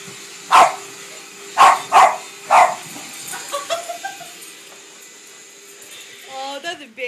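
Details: Female Boston Terrier barking at a vacuum cleaner at home: four sharp barks in the first three seconds, then quieter yelps and a woman talking over the vacuum's steady whine.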